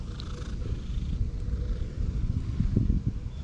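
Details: Cat living at a temple purring as it is stroked, a continuous deep rumbling purr with a few soft rustles and handling sounds near the end.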